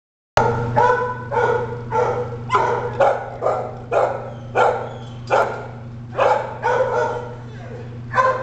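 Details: Red and white male spaniel mix at a city animal control shelter barks steadily, deep harsh barks about every half second to second, roughly a dozen in a row, over a constant low electrical hum.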